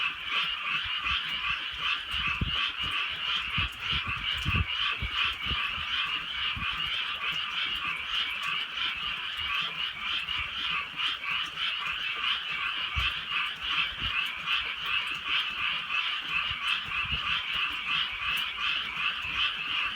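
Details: Frogs croaking through a rainy night in the countryside, a thick continuous chorus of fast repeated pulses, with occasional low thumps and drips of rain scattered throughout.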